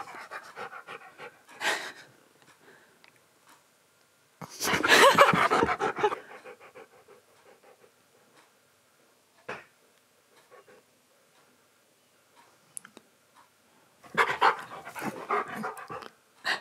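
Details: Male Siberian Husky panting indoors while being groomed and having shed fluff brushed out. Breathy, rapid panting comes in three bursts, near the start, middle and end, with quiet gaps and faint rustling and handling noises between.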